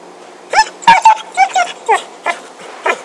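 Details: Short, excited yips from Happy, a dog playing with a stick, come in a quick uneven series of about seven bursts over three seconds.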